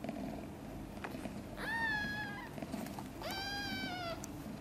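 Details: A newborn kitten named Guitar, from mother cat Chan's litter of five, gives two drawn-out, level, clear meows about a second and a half apart while sleeping, with a constant low background rumble.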